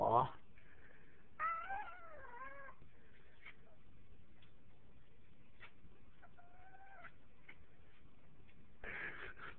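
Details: Male pet cat making weird noises indoors: a wavering, warbling tonal cry that bends up and down for about a second, a shorter similar note later, and scattered faint clicks and rustles.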